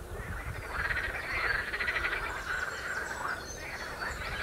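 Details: Frogs on the Royal Military Canal near West Hythe croak in a loose chorus of rapid, rattling pulses overlapping one another.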